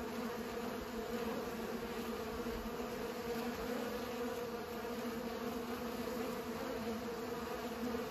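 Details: Bees at work pollinating, heard as an even, unwavering buzz, a deep steady tone with a fainter higher layer, lasting the whole stretch without gaps.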